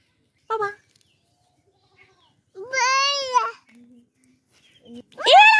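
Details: Baby goat kid playing with a human baby: one long, loud, quavering bleat in the middle, with a brief cry just before and a sharp rising call at the end, all set against an otherwise quiet background.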